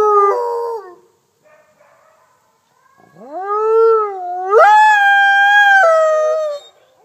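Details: In a howling session at the Wolf Conservation Center, South Salem, NY, captive Mexican gray wolf F810 leads other wolves: a brief howl drops away, silence, then a rising howl that bends, another higher voice overlaps it, and both die away.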